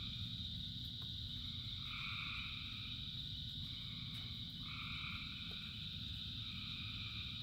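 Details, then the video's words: A chorus of thousands of frogs in rain: a few separate two-toned croaks, each lasting under a second, spaced a second or more apart, against an unbroken high drone of distant callers and a heavy low rain wash. "Frogs in Rain 2 Hours of Frogs, Thousands of Frogs Singing"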